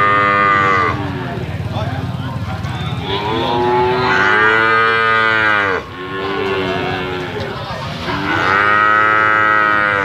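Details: Medium-sized slaughter-ready Bali cattle at a livestock market give several overlapping, sustained moos that swell and fade, over constant crowd noise and market bustle.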